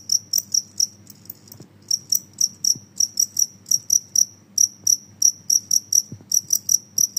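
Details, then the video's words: Genggong cricket, described as noisy, chirping in high, metallic bursts about three times a second in a steady run with one short pause, over a faint low hum and occasional soft clicks. "suara jangkrik Genggong berisik"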